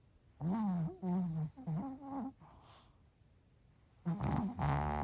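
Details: Sleeping Pomeranian Bochao at lunchtime, snoring indoors: several drawn-out, voiced groaning breaths in quick succession, a second of near silence, then a rougher, noisier pair of snores at the end.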